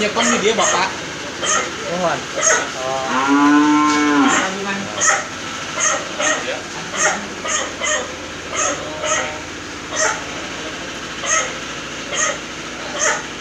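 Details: Cattle on a fattening farm in Ciharalang village, Ciamis, which raises PO, crossbred and Limousin cattle; one drawn-out, low, harmonic-rich moo midway through, set against a steady rhythmic clacking beat that repeats throughout.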